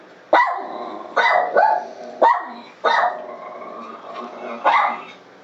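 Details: A dog reacts to its own bark played on a computer. It gives about six loud, hoarse single barks, roughly one every second, with a fainter bark between them.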